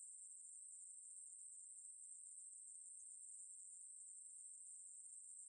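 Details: Continuous shrill buzzing of a Ruspolia katydid, recorded by the National Institute of Biological Resources in 2020. The high, unbroken hiss holds steady in pitch and loudness for the full five seconds.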